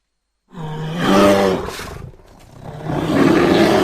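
A bear gives a deep, harsh roar, then a rougher growling bellow after a brief pause.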